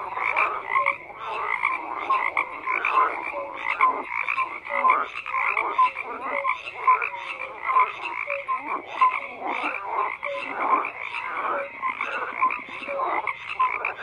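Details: Chorus of many frogs, croaks overlapping steadily with brief bright whistle-like notes recurring roughly every second over a constant pulsing background of calls.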